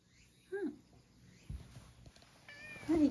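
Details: Male rescue cat born around spring 2019, at home in Higashiomi, Shiga, Japan, in spring 2023, before a walk; two short falling meows separated by about two and a half seconds, with a soft thud and quiet room between.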